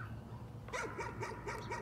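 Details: A dog keeps up nuisance barking: a short run of rapid, sharp yaps, about five a second, over a low background hum.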